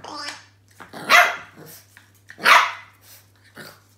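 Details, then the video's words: French Bulldog puppy Roscoe barks at an unfamiliar new toy indoors: a human voice at first, then two loud rough barks over a second apart, with quieter grumbling sounds between. "French bull dog puppy Roscoe has a new toy that he is not sure about"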